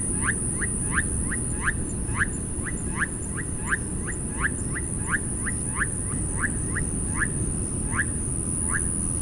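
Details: Túngara frogs calling: short, falling whistled sweeps repeated quickly, about two to three per second, seemingly several callers overlapping, over a heavy low rumble and a steady high-pitched hiss.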